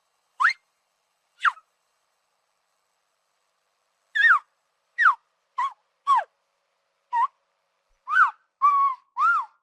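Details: Tapir, a shy rainforest mammal, giving ten short, clean whistles in irregular bursts, some rising and some falling, with long silent gaps between the early notes.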